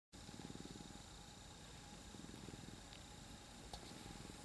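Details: Three domestic cats piled together on a lap, purring: a low, steady rumble of fast, even pulses that runs without a break, over a faint constant electrical hum and a single soft click near the end.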